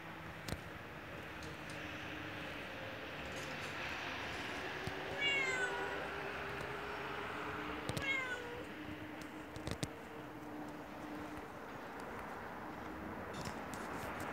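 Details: Hungry yellow stray cat outside a house, meowing to ask for food: two clear, wavering meows a few seconds apart over steady outdoor background noise.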